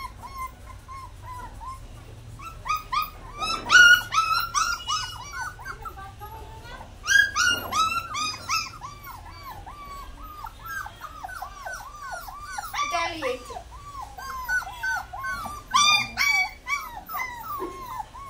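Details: Young puppy crying and whining: a long string of short, arched, high-pitched whimpers, irregular and overlapping, with a few louder yelping peaks and some faint background noise.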